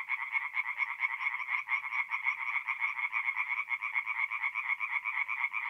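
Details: Night chorus of tree frogs at a forest pond, north-east Italy, mid-April: overlapping fast rattling croaks, several frogs calling at once in a continuous, slightly uneven pulse train.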